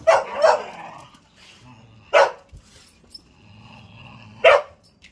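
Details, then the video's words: Male whippet at play in an impromptu game, letting out a quick double bark, then two more single sharp barks about two seconds apart, with quiet pauses and faint low background hum between them. "Whippets Have a funny way of playing"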